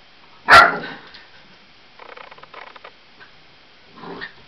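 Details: A Lab cross Australian Blue Heeler puppy, 8 weeks old and afraid of balloons, lets out one strong high bark, followed by quiet rustling and a faint softer bark-like sound near the end.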